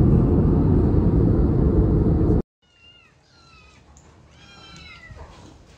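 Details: Kitten meowing: after loud low rumbling noise cuts off, a series of short, thin rising-falling mews with clear harmonics, several in quick succession, over a quiet background.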